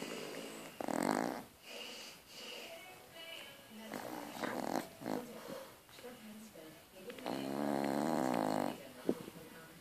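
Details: Sleeping French Bulldog snoring indoors: three drawn-out, rasping snores near one, five and eight seconds, the last the longest. Each has a buzzy, layered tone, with softer breathing between them.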